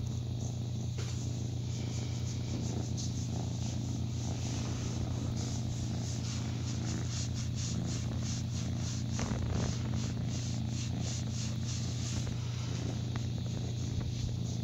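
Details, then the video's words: Purring from Lion, a once poorly socialized foster kitten aged roughly 6 to 8 weeks, on a cat rescue cam in New Brunswick, Canada, while getting belly rubs; a continuous deep throbbing hum with even pulsing and occasional light scratchy rubbing noises. "Purry Foster Kitten Loves Belly Rubs Just Like His Momma Does"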